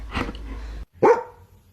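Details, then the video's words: Pet dog told by its owner to whisper instead of barking loudly; a soft breathy huff followed by one short, louder bark, with a woman's voice urging it to whisper. "When Your Dog Tries to Whisper"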